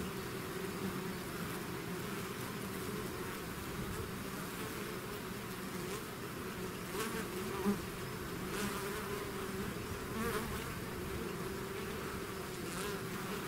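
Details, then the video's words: A hive's swarm of bees fills the air with a constant low droning buzz, overlapping wing hums at different pitches, and a short sharp louder buzz midway as a bee passes near. "bees therapy swarm natural buzzing sound"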